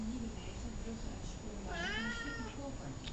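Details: Columbus, a talkative house cat, answers with a single rising-falling meow in the middle, rich in harmonics, while a person repeatedly calls him by name in a quiet room.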